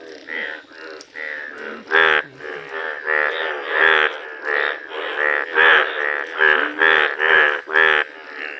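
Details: Indian bullfrog, rare yellow frog in nature, giving loud nasal croaks: rich buzzy notes repeated in a steady series roughly every half second, louder toward the end, with softer calls from other frogs behind.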